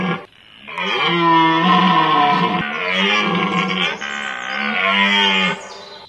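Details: One long, sustained bellowing roar from a red deer in rut, recorded 19 September 2010 in Hoge Veluwe National Park. The call is rough and harmonic, swelling and wavering for about five seconds with brief breaks.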